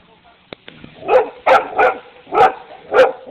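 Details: Dogs barking: five loud, rough barks in quick succession over about two seconds, each a broad burst with a harsh tone, after a few faint clicks at the start.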